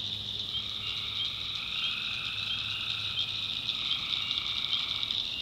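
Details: Swamp at night in the North Carolina backwoods, tree frogs producing a steady wall of high trilling calls, with short bright chirps popping out above the chorus.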